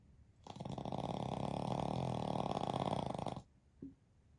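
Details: Pekingese x Shih Tzu mix dog snoring while napping in deep sleep indoors alongside its family; a single loud, rattling snore of about three seconds, strongly pulsed and buzzy, followed by a faint short snuffle.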